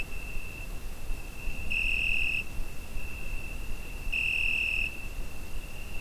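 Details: Cricket on a summer night, recorded with a Zoom H5: a steady, unbroken high-pitched ringing tone, swelling into two louder, brighter bursts of under a second each, about two and a half seconds apart, over a soft low background rumble.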